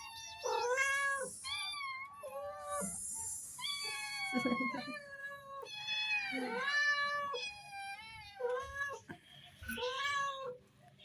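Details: Cat family calling in a steady run of meows, many long and wavering, some bending downward at the end, with one brief hissing burst early on and a soft background hum.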